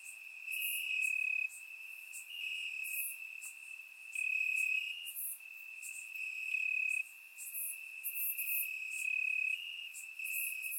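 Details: Night chorus of crickets in Bulgarian grassland during summer, recorded in surround sound; an unbroken shrill trill rises and falls in loudness, with several overlapping callers adding brief higher bursts.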